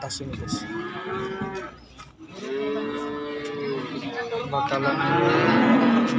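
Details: Calves and young bulls at a market: low, steady moos around two and three seconds among busy market background noise, with a higher wavering call toward the end.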